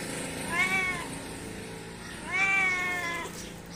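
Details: Domestic cat calling to its companions: two long, wavering meows with a rising then falling contour, a little over a second each, separated by a short pause over steady background hiss.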